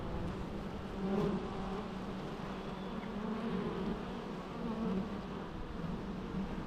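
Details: Quiet, natural bee humming: a soft low drone with gentle swells as insects move nearer and farther away.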